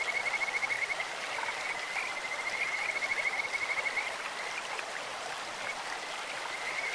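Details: Kajika frogs calling in a clear stream: a steady high trill of rapid pulses carries for about four seconds, then softer calling continues under constant rushing water.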